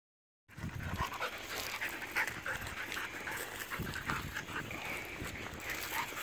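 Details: Seven-month-old Jack Russell Terrier and Chihuahua mix puppy playing with a bigger dog at an outdoor dog park; quick, breathy panting pulses run steadily throughout, over constant broadband rustling and background noise.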